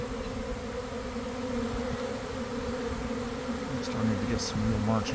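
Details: Inside a forming honey bee swarm by garden hives at about 1 pm after a cold, wet week: a thick, unbroken low buzz that swells slightly louder toward the end, with faint harmonic tones late on.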